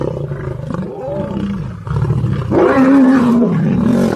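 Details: Lions in a fight with other lions; deep growls build into loud, strained roaring snarls with a wavering tonal howl in the second half, continuous and harsh.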